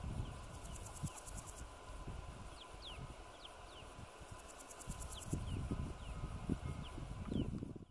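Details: Male Podismopsis keisti grasshopper stridulating: two short trains of fast, evenly spaced dry ticking pulses, each lasting about a second, amid low rumbling background noise and scattered thin descending bird whistles.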